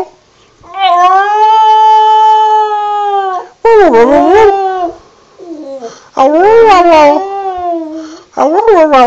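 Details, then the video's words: Singing border terrier named Wilson: one smooth, level howl lasting nearly three seconds, followed by yodel-like howls that bend sharply up and down in pitch, with short gaps between phrases. "Wilson the border terrier sings again"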